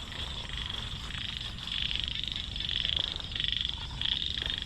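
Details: Frogs being caught to feed fish; high, buzzy pulsed calls come in overlapping bursts of about half a second to a second, with a steady low rumble of background noise underneath.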